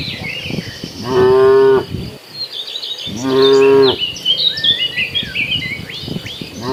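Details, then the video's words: Dozens of cattle migrating to green pasture, cheerful herd: two loud harmonic moos about two seconds apart, each held near a second, with bird chirps and whistles and an insect hum behind. "Suara sapi lucu riang gembira"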